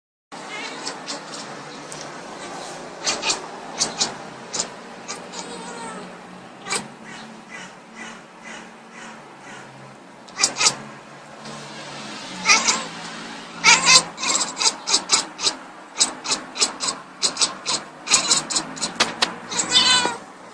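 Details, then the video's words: A domestic cat talking to a bird, giving rapid runs of short clicky chirps and brief harmonic mews, sparse at first and then crowded into quick bursts through the second half. "One of my crazy cats talking to a bird"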